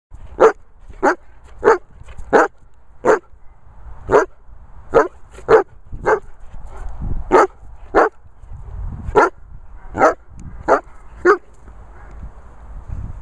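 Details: A Weimaraner dog barking in short, sharp, broadband barks, about sixteen in a row, spaced roughly half a second to a second apart with brief pauses, over a quiet background.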